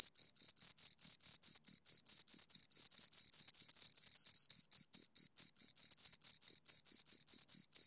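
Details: High, metallic chirping from two crickets, a fast unbroken series of short pulses around five per second with small irregular gaps, no background sounds.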